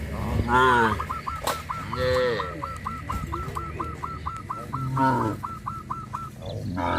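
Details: Cattle moving along a countryside road moo briefly at the start and again near five seconds, while a steady run of quick, evenly spaced, hooked high calls fills most of the stretch.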